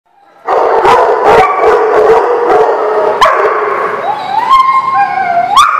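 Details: Dogs at a dog lot barking and howling; dense overlapping barks burst out after half a second, and rising, wavering howls join toward the end.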